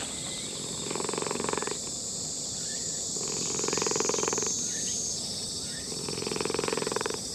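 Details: Old brown-and-white tomcat in a park purring as a person pets it. Rhythmic, grainy purr comes in breath-paced surges of about a second, with a constant shrill insect drone above.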